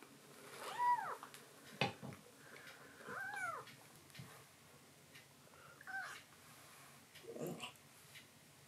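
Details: Rescued black-and-white hachiware kitten in foster care, indoors at night after drinking milk, meowing to its mother as if in thanks; three short arched mews spaced a few seconds apart, with soft knocks and rustling between them.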